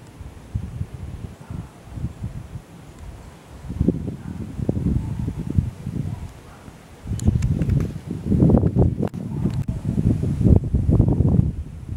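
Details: Gusty wind and rustling handling noise fill the recording, with no clear animal call standing out.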